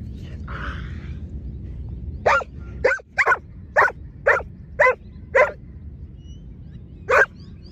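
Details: Giant Schnauzer barking during lure training, one of two dogs present: a short noisy sound near the start, then a run of sharp single barks about every half second from 2.3 to 5.5 seconds, and one more bark near 7 seconds.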